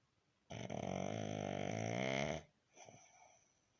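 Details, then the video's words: Pug named Baron, resting and snoring: one long rasping, buzzy snore drawn out for about two seconds with a steady vibrating rattle, then a shorter, softer breath. "Мопс Барон отдыхает и храпит"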